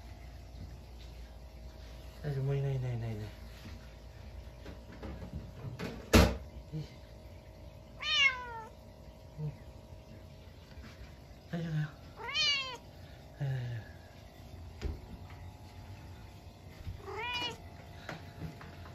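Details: Munchkin cat gives a series of short, rising-and-falling meows, some low and chirping, others higher and whiny, at midnight on a snowy day after a stink bug got indoors.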